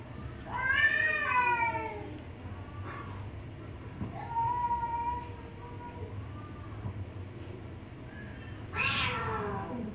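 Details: Domestic cat meowing while being teased: a loud drawn-out harmonic meow near the start, a softer level meow around the middle, then a brief noisy burst near the end, over low steady indoor hum.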